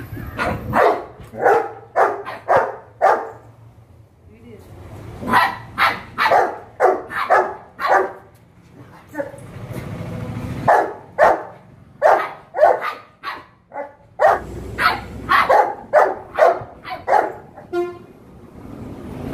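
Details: Pet Labrador Retriever named Juni, in a little dog versus big dog encounter. Loud, sharp barks come in rapid bursts of roughly two per second, broken by brief pauses near the fourth and tenth seconds.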